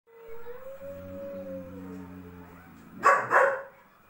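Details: German Shepherd dog with a double coat gives a long, wavering, howl-like whine that rises and falls for about two seconds, then fades. It ends with two loud, harsh barks in quick succession.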